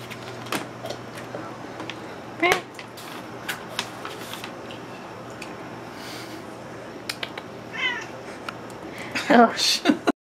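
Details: Pet cat Juniper begging for salmon, meowing persistently indoors; scattered brief meows, a wavering rising cry near eight seconds and a louder burst near the end, mixed with a person talking and household clicks.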